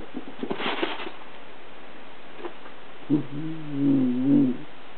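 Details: Miniature Dachshund playing with another dog: light pattering paws and scuffling, then a drawn-out low, tonal whine-growl of about one and a half seconds with a wavering, slightly rising and falling pitch.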